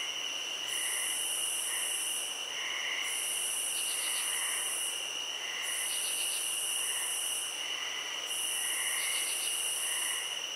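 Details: Field crickets trill continuously at a high pitch while a sharper hissing buzz pulses in blocks of about two seconds; brief clusters of rapid ticks and faint low murmuring notes recur through the chorus.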